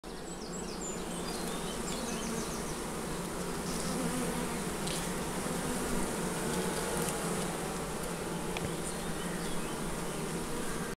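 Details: Honey bees during the uniting of two colonies with sheets of newspaper; a dense, steady buzzing hum fills the whole recording, with scattered faint clicks and crackles.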